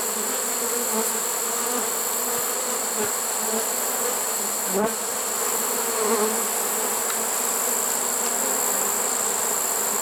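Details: Honey bee swarm caught in a swarm trap late in the season, September 1, 2019: a steady, dense hum of many bees droning continuously with faint scattered clicks and knocks.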